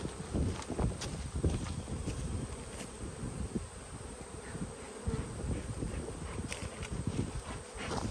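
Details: Honey bees at the yellow hive, which had a box added two weeks earlier, just before it is smoked and opened on 19 March 2022; a dense, low droning hum with scattered knocks and rustling from handling throughout.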